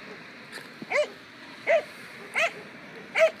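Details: A 2-year-old German Pinscher in protection training gives four sharp, high, ringing barks, roughly one every three-quarters of a second.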